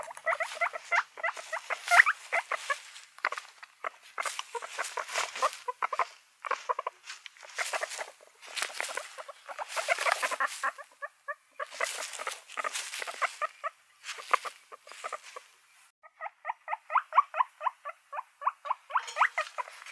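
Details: Several guinea pigs, pets, squealing and chirping in bursts of short, repeated squeaky notes, with brief pauses between runs and a faster train of even squeaks near the end.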